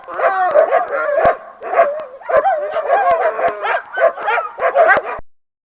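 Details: Dogs in a noisy group, mixing rapid barks with wavering, drawn-out howling tones that slide up and down, calls overlapping steadily before fading out at the close.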